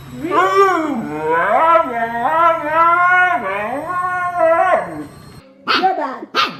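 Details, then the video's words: Household dog answering its owner with a sustained, modulated howling 'talk' whose pitch wobbles up and down for about five seconds. Two brief, sharper yelps follow. "Dogs Who Argue With Their Owners (And Think They’re Right)"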